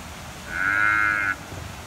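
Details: An Indian rhinoceros, a zoo animal at San Francisco Zoo, gives a single high, steady, bleat-like squeal lasting under a second.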